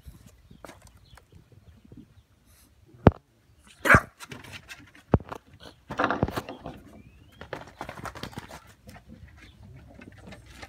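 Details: English bulldog puppies seeking attention give a few sharp barks and whiny whimpers at irregular intervals, with a rising squeal, over quiet household background.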